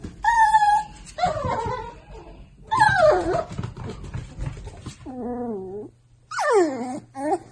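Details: Miniature Dachshunds at a breeder: several high, drawn-out tonal whines that slide up and down, broken by short yips and pauses, with a low hum underneath.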